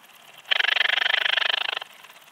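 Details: Eastern Alpine Bush-cricket (Anonconotus italoaustriacus) at Heiligenblut, Austria, on 4 September 2020. One loud, dense burst of about thirty rapid ticking pulses runs for just over a second, with faint quiet before and after.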